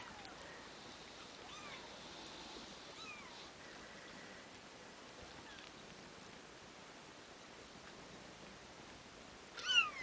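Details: Two-week-old Bengal kittens, offspring of Ariel and Dream, making faint, thin mews with short falling and rising arcs scattered across quiet background hiss, a louder short call at the very end.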